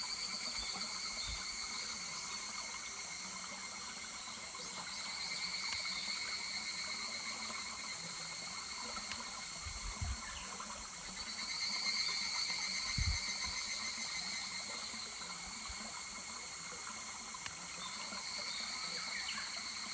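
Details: July higurashi cicadas singing over a stream at Kuragari Pass. Bright, high ringing tones carry on throughout, rising in strength around midway, with occasional low knocks and soft running water.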